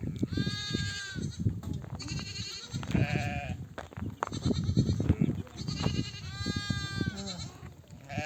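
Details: Nomads' flock returning from grazing in desert oak country, mother sheep calling their babies to suckle: repeated loud, trembling bleats from several ewes, overlapping one another above constant low trampling rumble.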